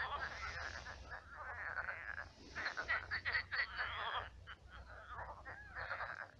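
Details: Night chorus of many frogs in a pond that has dried to a swamp; harsh, buzzy croaking with rattling pulses running together, loudest in the middle, little else audible.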